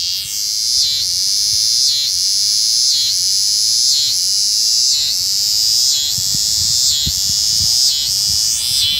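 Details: Eastern scissor-grinder cicada (Neotibicen winnemanna) during unusual courtship behaviour, producing an intense high buzzing drone that drops briefly about once a second in a regular grinding pattern, with faint low rumbling beneath.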